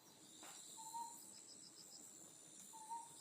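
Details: Otton frog, an endemic species of Amami Oshima, recorded at night, gives short, hollow, slightly rising hoots about two seconds apart over steady insect trilling.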